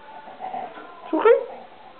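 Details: Souris, a cat that is half Siamese and half unknown breed, gives a single short, wavering meow indoors over faint background murmur.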